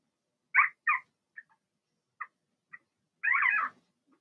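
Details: Blenheim Cavalier King Charles Spaniel puppies from a litter of six, two females and four males, born March 7–8, in an indoor puppy pen during potty training: two quick yelping whines, soft short squeaks, then a longer wavering whine.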